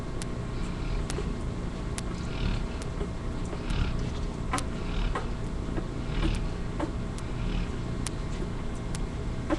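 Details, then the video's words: Sleeping yellow Labrador Retriever named Kylie snores as two puppies nurse from her, another dog, Buddy, dozing behind; slower hissing breath rasps every couple of seconds, scattered sharp ticks and a constant low rumble beneath. "Kylie snoring while two yellow lab babies nurse."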